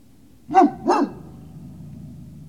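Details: Great Danes at Puppy Hill, 19 February 2019, evening recording: two short, sharp barks about half a second apart, then quiet low background.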